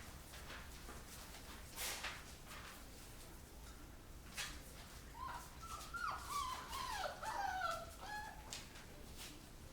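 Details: Rottweiler puppies play-fighting with each other after eating; scuffling thumps at first, then a burst of high, wavering whimpers and yips with bending pitch over about two seconds near the end.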